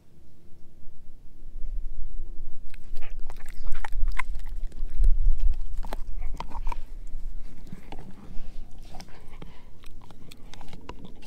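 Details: Edu, a German Shepherd mix, eating a dehydrated pig ear dog chew; quiet start for about two seconds, then irregular crunching and biting clicks roughly every half second, with low thumping underneath.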